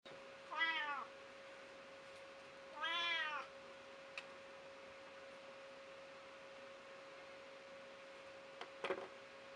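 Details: Female pet cat, gentle but known to complain loudly when upset, meowing after being scolded: two drawn-out, wavering, falling meows about two seconds apart, then quiet apart from a steady electrical hum and a few faint knocks.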